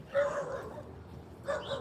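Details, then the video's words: Distant barking on a Tuesday morning walk from a neighbourhood dog that earlier ran out of a house, chased the walkers and bit a dog; two faint bark bursts about 1.3 seconds apart over background noise. "dog barking, you can hear barking. That's that dog that come after us. He bit Toby."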